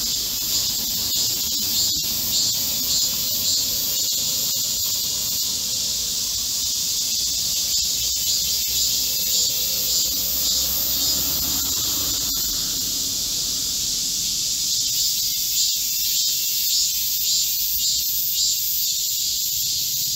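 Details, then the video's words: Korean cicadas in chorus in a green forest at midsummer, during a heatwave on 25 July 2024: a dense, shrill high buzzing that holds steady throughout and swells in soft pulses about twice a second, with a fainter lower hum beneath. "Korean cicadas, a chorus in a midsummer green forest | 한국 매미들의 한여름 초록 숲속의 합창"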